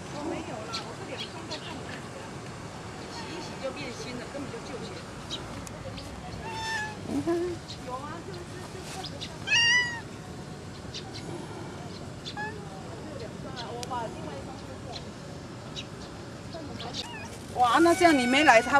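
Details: Stray cat named Miaomiao at the botanical garden, back by the frog phone booth one morning after changing territory, waiting to be fed and eating only a little kibble; several short rising-and-falling meows, a louder burst near the end, amid people chatting nearby.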